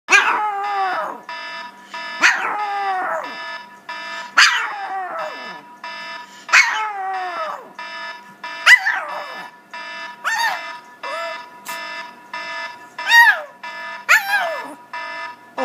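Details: A Pomeranian tries to howl along with an iPhone alarm, giving high, falling howls about every two seconds over the steady electronic tone, and the attempt sets off a sneezing attack.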